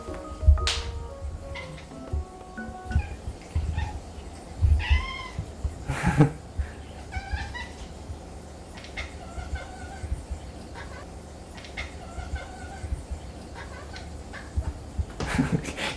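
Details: A domestic cat gives short, clipped, almost bark-like meows, asking to climb up high onto a spot where a toy has been placed.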